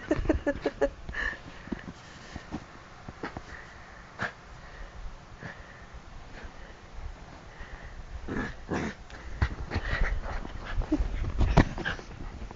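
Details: Bichon Frise growling at bedtime, excited and attacking feet and hands while bouncing about indoors; low rumbling growls and snuffly breaths come between sharp rustling thumps, with a person murmuring briefly.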